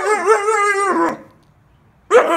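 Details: Siberian Husky pup talking back when asked to come inside: a loud drawn-out wavering howl-like whine lasting about a second, a pause, then another vocal burst starting.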